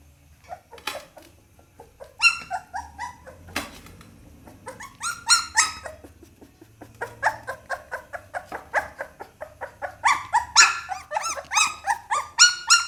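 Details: Little Pit Bull puppy indoors, whining and yelping in irregular bursts: scattered squeaky cries, brief pauses, then faster, louder runs of high yips toward the end.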